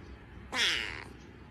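A domestic cat lets out one short meow lasting about half a second, with a clear harmonic tone that bends gently downward. A quiet room hum sits underneath.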